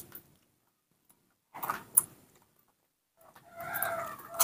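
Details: Nomi, a pet baby monkey, refusing bananas and calling for milk indoors: a tonal, slightly wavering call of about one second near the end. Earlier, brief rustling and handling noises break the silence.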